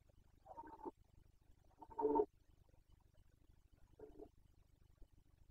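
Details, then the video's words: Carpathian red deer stag during the 2021 breeding season (boncănit), Bucovina: three short, hoarse, harmonic roaring bursts about two seconds apart, the middle one loudest, over a steady low rumbling background hum. "Boncănit / Carpathian stag Breeding season 2021"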